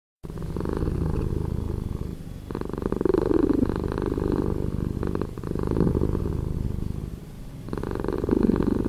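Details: Domestic cat purring, slowed down for a relaxing effect: a deep, rumbling low drone in long swells, louder phases of about two to three seconds alternating with softer ones, steady and continuous throughout.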